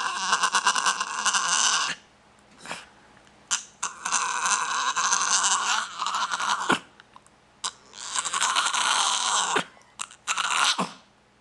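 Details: A Norwich Terrier pup makes his strange food-begging noise: long, raspy, breathy snorting bursts of about two seconds each, broken by short sharp snorts and brief pauses, loud and close indoors.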